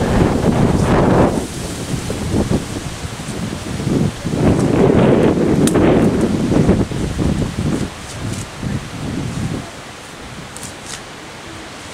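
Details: Gusting wind and rustling leaves buffet the microphone outdoors, with no clear animal call.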